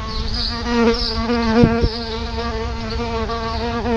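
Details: Close, steady buzz of solitary bees at a nest just outside a front door. The low hum wavers and dips briefly in pitch as a bee moves, and continues throughout with a few soft clicks.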